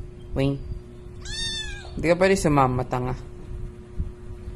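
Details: Siamese kitten gives a drawn-out, high, clear meow, with several shorter meow-like cries after it, while a person says hello and talks nearby.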